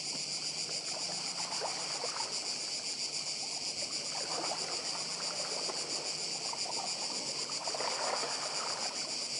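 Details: Cicadas calling together on Badija island in Croatia, a continuous sizzling buzz held at one high pitch throughout, backed by a gentle sea rush and occasional soft lower sounds.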